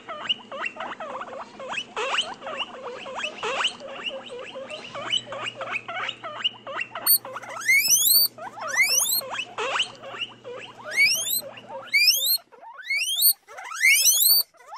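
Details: Guinea pigs give a busy run of short squeaky chirps, then long shrill whistles that sweep steeply upward, repeated with brief pauses in between.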